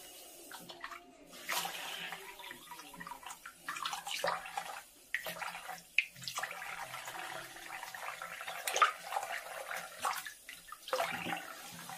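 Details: Guinea pig bath at home: running tap water and splashing fill the room, with no animal calls heard.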